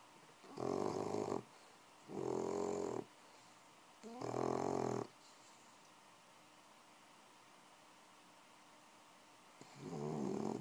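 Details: Six-month-old bulldog puppy asleep, snoring loudly: three harsh, buzzing snores of nearly a second each, about every second and a half, then a long quiet gap and a fourth snore starting at the end.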